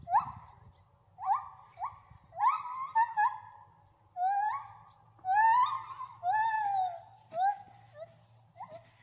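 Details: Gibbons Oliver, Bernie and Yoko singing at Wales Ape and Monkey Sanctuary: clear, rising whoops and hoots that swell into longer, wavering notes, repeated roughly every second, over a faint low hum.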